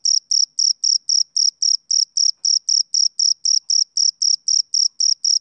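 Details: Male cricket chirping steadily, clean high-pitched pulsed chirps repeated about four times per second in an even rhythm, with no other sounds audible.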